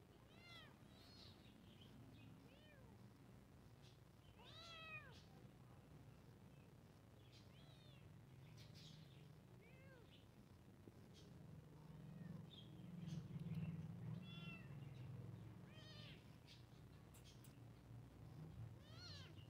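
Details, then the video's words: Two kittens meowing at the same time, high arched mews repeated irregularly every one to two seconds throughout, overlapping at times, with a low steady hum underneath. "2 Cat Kitten Towns Meow Same Time"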